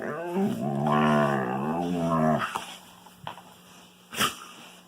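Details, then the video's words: Indoor wolfdog at play with a Kangal puppy gives one drawn-out, wavering harmonic growl-moan lasting about two seconds, followed by quieter rustling and a couple of sharp knocks. "Strange Wolfdog Noises"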